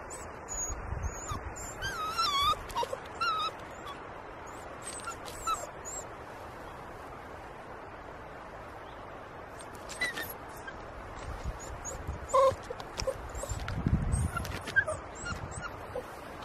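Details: Domestic dog, a pup nearly 11 weeks old, straining to get his toy past a log; scattered high, thin whimpers and squeaky whines in brief bursts, with rustling, bumping movement and occasional outdoor chirps in the background.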